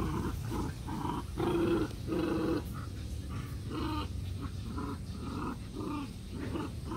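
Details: Puppies romping happily with a dog. They give short harmonic yips and growly barks in quick bursts about every half second, louder around the second and third seconds, over a steady low rumble in the background.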